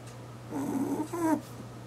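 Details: Sleeping eight-year-old pet rabbit at home giving a single soft snore, a breathy, slightly wheezy rasp in two short parts, over a constant low hum indoors.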